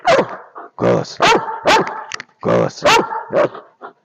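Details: Belgian Malinois called Alfa barking in two groups of three or four loud, harmonic barks, each group lasting about a second and a half, with brief gaps between groups.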